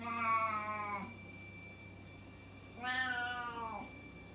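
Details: A loud house cat calls before feeding, giving two drawn-out harmonic meows about two seconds apart, the second rising then falling away, over a constant indoor hum.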